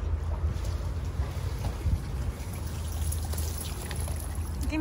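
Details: Rumbling, splashing water noise dominates, with faint indistinct voices and no animal call.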